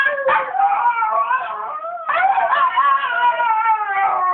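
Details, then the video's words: Miniature Schnauzer kept as a pet, singing early in the morning to get its owner up; continuous wavering howl with gliding pitch, briefly broken and restarted with a sharp rising onset. "Miniature Schnauzer Singing"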